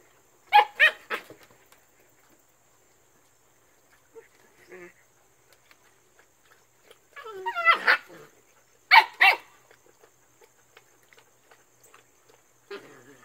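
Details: Siberian Husky puppies playing with an old towel on a whelping house deck: short sharp yappy barks in quick bursts, a rising squeaky whine-bark near the middle, then a pair of barks and a brief low whine at the end, with quiet pauses between.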